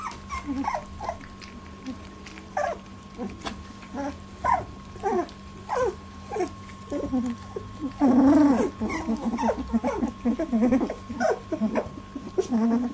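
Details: Labradoodle litter aged 18 days at its first milk fight, dense overlapping squeals and whimpers that swell into a louder wavering cry midway, with low background hum.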